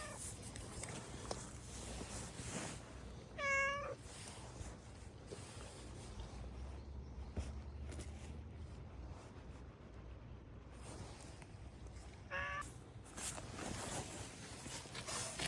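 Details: A domestic cat gives two brief wavering meows about nine seconds apart, each with a quick warbling pitch, amid steady rustling and handling noise.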